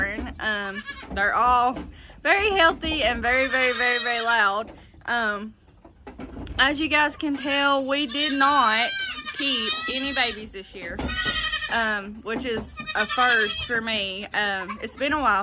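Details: A crowd of goat kids born in the 2022 kidding season crying nearly nonstop, long quavering bleats rising and falling and overlapping, with a voice speaking among them.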